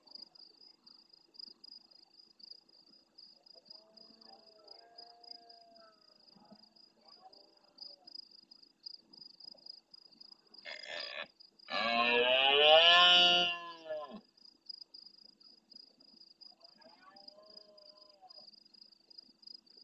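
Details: At nightfall in the Doñana marshes of Andalusia, Spain, a big red deer stag near the camera answers faraway rivals. Faint distant roars come first, then a short grunt and one loud, rasping roar lasting about three seconds, with a continuous shrill insect trill behind.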